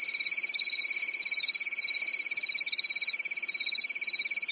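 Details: Short stretch of crickets chirping at night in a European summer: high, tightly pulsed trills overlap in several bands, the loudness swelling and dipping in quick waves.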